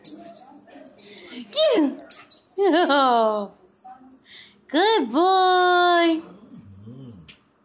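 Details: Pet dog Vinny, at home with his favourite hot dog toy, gives three drawn-out whining cries that swoop up and then slide down in pitch. Quieter short whimpers come in between, along with soft human voices indoors.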